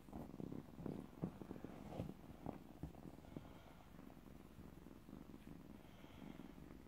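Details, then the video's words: Stray kitten, recently trapped, purring loudly close up: a low, throaty rumble pulsing in rapid rhythmic bursts, strongest in the first few seconds, then settling into a softer, steadier purr. "Kitten with loud purr"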